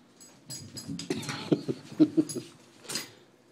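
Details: Jeeves, a pet dog, playing indoors in a foyer after an evening walk on 15 February 2013; short grumbling growls and whimpering yips in a quick irregular burst, with a person talking to him before and after.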